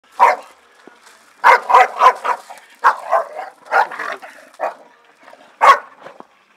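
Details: A Staffordshire Bull Terrier, one of two having fun in the garden, barks in short, sharp bursts, some quickly doubled or tripled.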